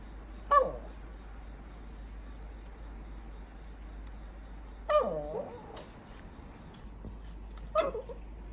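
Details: A poodle rescued from abandonment grumbles and makes strange sounds while demanding attention. Three short, whiny, falling vocal bursts come several seconds apart, with a constant high electronic whine in the background.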